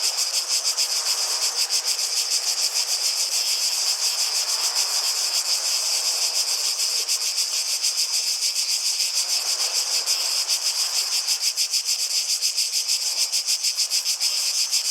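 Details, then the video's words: High, pulsing buzz of cicadas sustained without pause, rhythmic throbbing at a quick steady rate, with occasional soft rustling or water-like swells beneath. "Relaxing Sounds of Cicadas"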